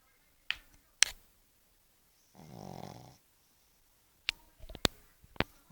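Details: Bosya, a pug, snoring indoors: one drawn-out raspy, rattling snore lasting under a second, framed by a few sharp clicks and snaps before and after in an otherwise quiet room.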